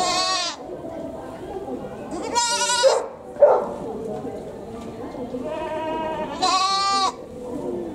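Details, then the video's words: Goat at a zoo in Japan, calling with a voice said to sound like a human crying: loud harmonic bleats with a wavering, sobbing quality, three cries over eight seconds amid murmuring crowd voices. "Goat crying like a human?! 人間みたいな鳴き声のヤギ"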